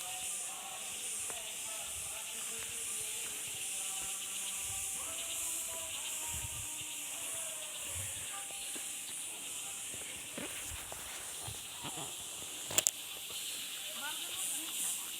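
A steady, high-pitched insect chorus hisses and shrills without pause, over faint tonal music.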